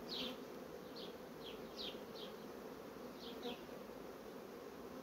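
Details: Honey bees from fast-growing colonies in an apiary: a steady, even hum with a low drone throughout, plus a few brief high chirps in quick pairs in the background.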